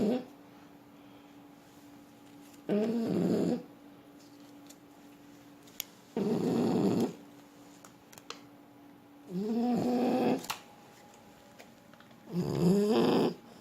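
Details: French Bulldog asleep and snoring, giving four rough, rattling inhalations about three seconds apart, some with a wavering nasal whistle, against a quiet room with a constant low hum.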